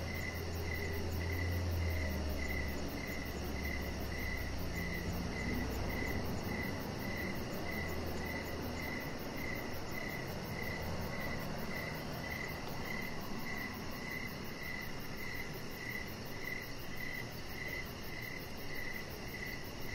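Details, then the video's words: Outdoor evening crickets near a deck where a chihuahua puppy lies among decoration lights; a regular train of high chirps continues steadily, a fine rapid pulsing sits higher up, and a low rumble swells briefly early on. "Chihuahua Puppy Laying On Deck with Cricket Sounds"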